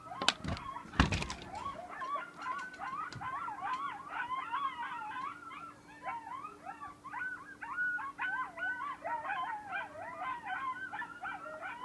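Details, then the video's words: A group of coyotes howling in the front beach forest at Station 26 1/2, Sullivan's Island, South Carolina: many overlapping wavering yips and rising-falling howls in a continuous chorus, with two sharp knocks at the start and a faint steady hum. "Coyote group howling"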